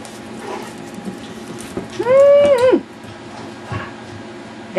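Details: Yorkshire Terrier puppies playing wildly indoors; one high whine rises and falls for just under a second, with harmonics above it, between quiet stretches of a woman's soft talk to the pups.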